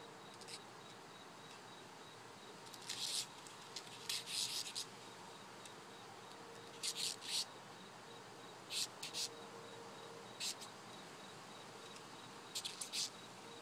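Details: Beetle handled and poked with a stick, released into the wild afterwards, giving rough hissing screeches when agitated: short broadband rasping bursts, some doubled, roughly every one to two seconds, over a faint steady hum.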